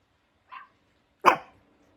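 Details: A short soft yip followed by one loud, sharp bark from Hendo, a Pomeranian puppy turning two years old on his birthday; the room is quiet apart from the dog.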